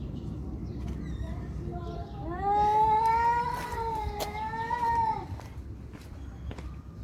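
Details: Fighting cats produce a sustained, wavering caterwaul lasting nearly three seconds, swelling then dipping in pitch with a strong harmonic, tonal quality, set against low background noise and a few faint clicks.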